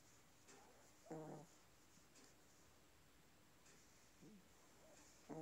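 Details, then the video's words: Chihuahua snoring indoors: a single brief, tonal, wheezy snore near the one-second mark, then soft faint murmurs in a quiet room. "A snoring chihuahua"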